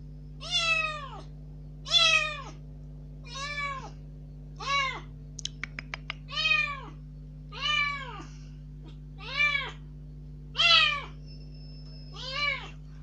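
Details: Indoor rescued kitten, newly out of its cage, calling surprisingly loudly to demand going outside: ten arched meows repeated every second or so, with a few faint clicks in the middle and a steady low hum throughout.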